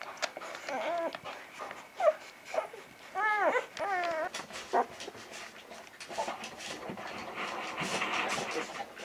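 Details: Vizsla pups from Batai, filmed 10 January 2013, let out a few clear arching whines early on, several in quick succession, before rustling and faint human voices take over.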